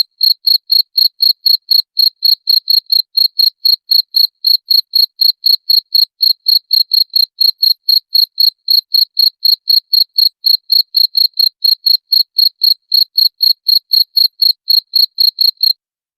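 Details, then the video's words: Cricket chirping, played to drive away rats: sharp, high, ringing pulses repeated steadily about four times a second for the whole stretch, each pulse a quick trill, with no other sounds behind it. "SUARA JANGKRIK PENGUSIR TIKUS"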